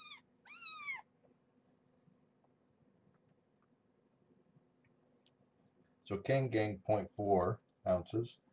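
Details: Young kitten of Marge, a formerly stray mother cat, during an indoor weigh-in and handling session, gives two high, thin mews that slide downward, followed by a long quiet pause and then a woman's voice talking.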